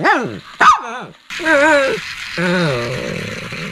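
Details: Shih Tzu barking and growling: two sharp falling barks, then longer wavering, rough growl-like calls over a steady noise bed.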